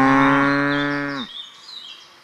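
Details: Heck cattle on a farm, filmed in October 2020 with natural sounds: one loud, steady, deep moo held for just over a second, then breaking off, followed by faint background noise.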